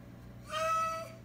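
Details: Indoor Oriental Shorthair cat honking instead of meowing: one steady, nasal, harmonic-rich tone lasting about half a second, flat in pitch, with a faint low room hum behind it.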